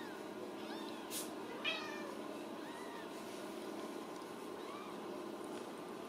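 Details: At supper in a central Kansas cattery, Ragdoll kittens give a few clear, rising-then-falling meows amid soft overlapping mews, a couple of brief bumps and a continuous low hiss.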